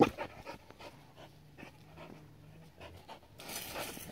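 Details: Adaike Polední kámen, a seven-year-old Border Collie, pants softly in a steady run of breaths while playing with water; splashing noise rises in the final second.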